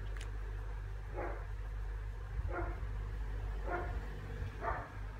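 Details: Pomeranian called Tiny barking in a steady series: four short, hoarse barks roughly a second apart, moderately loud against a constant low droning hum.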